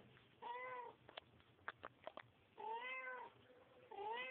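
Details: Mother cat cleaning her kittens; drawn-out harmonic meows, each lasting about half a second, separated by soft clicking and licking noises.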